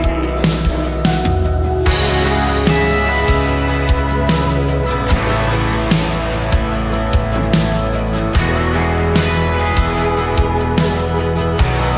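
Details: Loud electronic music with a heavy pulsing beat covers everything, with no animal sounds audible.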